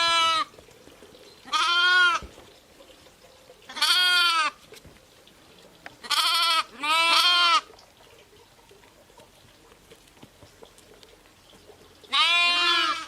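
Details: Bleating sheep, ewes with lambs: six separate, even bleats spaced a few seconds apart, two of them close together, with a long quiet pause before the last.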